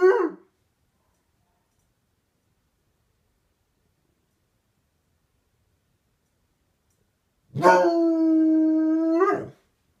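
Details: Dog howling back at the neighbour's dog: a brief cut-off cry at the start, then long silence, then one steady, rich howl lasting about two seconds.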